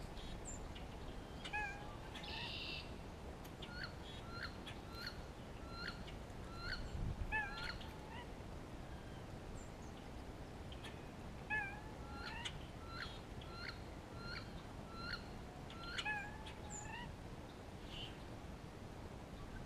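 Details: In spring, an Eastern gray squirrel communicates with another squirrel, then gives rapid, repeated chucking barks with short nasal whines, alarm calls raised against a hawk heard close by.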